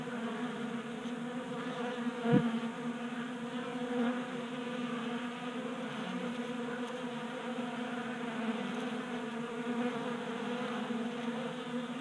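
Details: Steady multi-toned droning of honey bees gathered at a 3D printed table feeder in a Colorado garage, January warm spell, with a brief click near the start and slight rises and falls in the hum.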